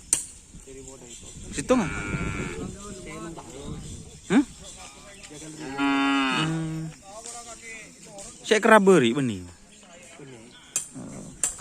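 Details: Cattle at a Karapan Sapi bull-racing gathering on Sapudi Island, prepared for an upcoming event. A drawn-out, steady low moo of about a second comes mid-clip, with shorter bellowing calls around it, over human voices and clinking sounds.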